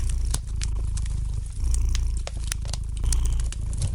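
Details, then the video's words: Domestic cat purring gently beside a softly crackling fireplace fire: a steady low rumbling purr throughout, swelling in level near 1.6 and 3 seconds, with sharp scattered pops and snaps of burning wood on top. "Relax to the gentle purring of the cat and the light crackling of the fire in the fireplace!"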